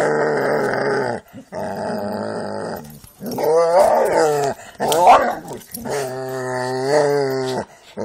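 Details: Jack Russell and pit bulls playing together, with low rumbling growls and harmonic whines across most of the clip, broken by short pauses and a few sharp yips, recorded indoors.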